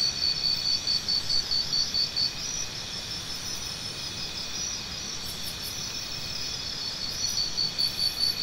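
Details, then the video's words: Crickets offered as natural tinnitus sound therapy, chirping in quick high pulses roughly twice a second, with a bout near the start and again near the end over a continuous insect hum. "Try Listening to Cricket Sounds"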